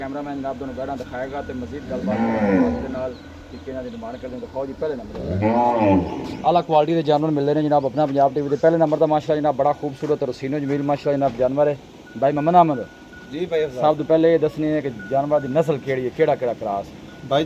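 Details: Friesian Cholistani cross cow offered for sale in Pakistan, 23/07/2024: two long, low moos, each swelling up and falling away, near the start, then a man speaking steadily over the rest with brief pauses.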